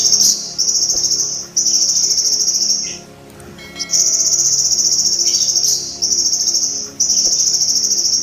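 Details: High, strident buzzing of a golden grasshopper, meant for teaching sogon birds, running in steady bursts of about one second, with a quieter gap near the middle and faint soft tones in the background.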